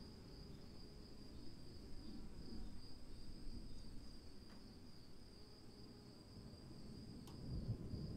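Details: Crickets chirring in the rain: an even high-pitched continuous trill persists across all eight seconds above constant rain noise, with a couple of brief sharp clicks and swelling low patter toward the end.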